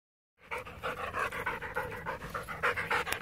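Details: A Border Collie during fetch training pants rapidly and steadily, quick breathy pulses about three per second after a moment of silence.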